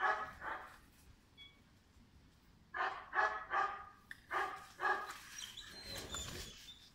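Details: Pirat, a five-month-old German Shepherd puppy bred for sport or police work, barks in a run of loud, harsh, broadband barks. One pair comes early, then a quick burst of five about half a second apart, with faint high chirps late.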